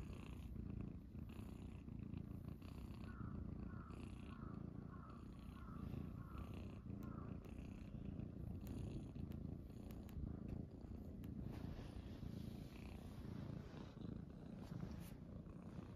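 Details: Morning purring from Munchkin kittens lying on a person's belly, Pochakun and Chaabo joined by Kuro; a continuous deep rumble fills the recording, with brief soft higher tones partway through and light rustles and clicks.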